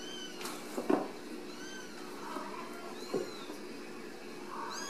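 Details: Ragdoll kittens raised in a home cattery in central Kansas, not kept in cages; several high, thin kitten meows come at irregular intervals, some arching up and down, over a low steady background hum indoors.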